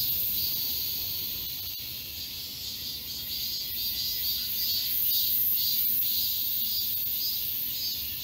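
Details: Cicadas singing in a summer forest at Galsan Park, Mokdong, Seoul. A high, sizzling buzz wavers in loose pulses and grows slightly louder toward the middle, with faint low background noise.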